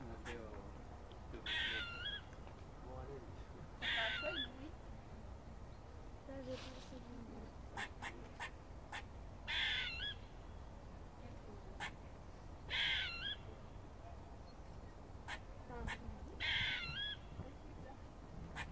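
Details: A squirrel in Cambridge, filmed at a college, repeats hoarse, buzzy barks every two to three seconds, each a short nasal burst, with quick clicking chirps between them over a low background rumble.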